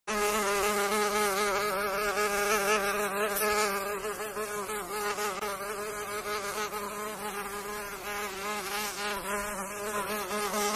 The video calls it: PERNILONGO: SOM DO PERNILONGO